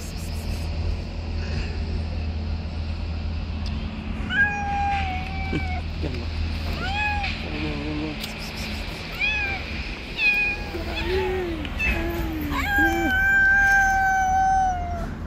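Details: Stray street cats in a territorial fight around an angry white cat: a series of drawn-out, wavering meows and short rising cries from about four seconds on, overlapping and growing louder toward the end, over a steady low hum.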